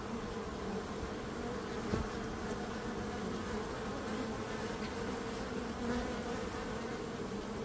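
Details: Continuous low buzzing of bees, a smooth unbroken hum with a faint tap around two seconds and no other voices.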